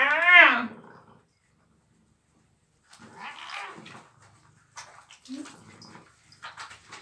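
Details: Pet cat meowing while being showered indoors: one loud arched meow at the start, followed by quieter rough vocal sounds, running water and a person talking to the cat.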